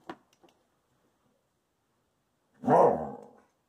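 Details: Indoors, Peaches the Wolamute, guarding two treats she won't share, answers a request to share with a single loud, rough, broadband grumbling vocalization lasting under a second, after faint clicks.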